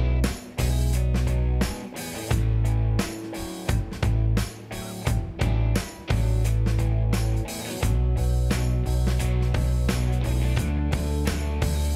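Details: Upbeat guitar-driven pop music with a strong bass line and stop-start drum breaks runs throughout.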